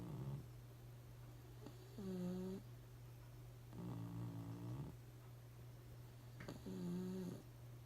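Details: Pugs sleeping soundly and unaware of being filmed, snoring in deep, harmonic, rumbling breaths about every two to three seconds, each snore lasting roughly half a second to a second, over a steady low background hum.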